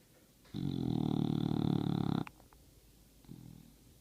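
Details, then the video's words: Sleeping female English bulldog lets out a sustained, loud, rattling snore of almost two seconds, deep and buzzy with an even pulse, then a quieter short snort about a second later. "Bulldog sings Happy Holidays through her snoring"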